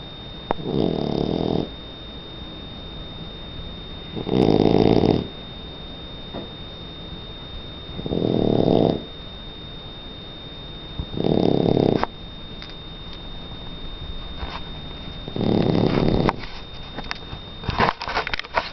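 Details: Donna, a three-month-old Shar Pei puppy, snores while asleep indoors: loud, rasping breaths swell and fade in five broad bursts about every three and a half seconds, with quiet room hiss between them.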